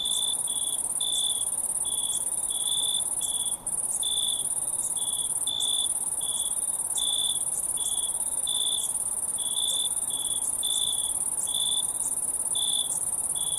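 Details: Nature sounds of crickets: an unbroken high, thin shimmering trill, plus a deeper cricket chirp in steady short phrases with brief gaps between them.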